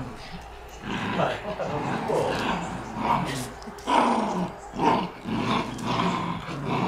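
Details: Tug-of-war play among three Shiba Inu: gravelly, snarling growls in uneven pulses, partly overlapped by faint human voices and scuffling.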